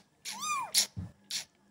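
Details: Kitten giving one clear arched meow, rising then falling, followed by a few short broadband clicks and a low thump.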